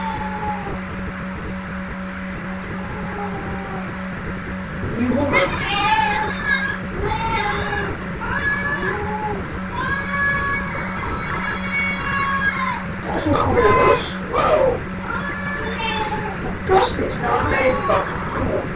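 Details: Hungry domestic cats meowing, several short harmonic meows from about five seconds on, some rising and falling, over a steady electrical hum and background noise, with louder overlapping calls near the end.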